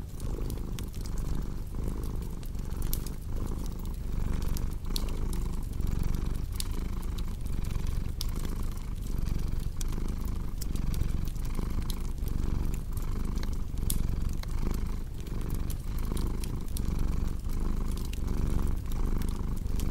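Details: Deep purring from a cat, rhythmic and unbroken, its low vibration swelling every breath while a crackling fireplace adds bright clicks and pops.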